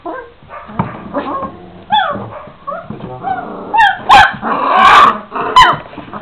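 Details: Twenty-six-day-old Šarplaninac puppies whining with rising, wavering whimpers, then a burst of louder rough yelping and squealing from the litter, with a few sharp knocks.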